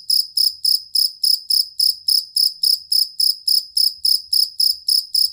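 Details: Chirping cricket (jangkrik kalung or fighting cricket) used as master sound for songbirds: crisp high trilled pulses, about fifteen in five seconds, each sharp and ringing, in a regular beat.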